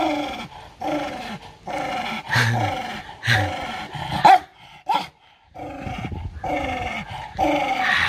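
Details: Angry dog guarding its food, a run of harsh throaty growls in repeated pulses, broken by a few sudden loud snaps near the middle and a short pause before the growling resumes.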